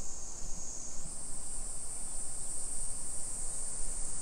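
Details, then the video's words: Cicada chorus on a summer afternoon, 2 PM, 28 July 2021, in a Nisshin city neighborhood about 20 km from downtown Nagoya, Japan: a loud, piercing continuous buzz steps up slightly in pitch after the first second, over soft ambient rumble. "Summer Cicadas Sounds"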